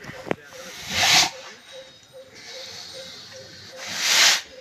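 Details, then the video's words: Senior bull from Narasapuram village giving two harsh, airy snorts about three seconds apart, with a faint steady low hum in the background. "బుసలు కొడుతున్న"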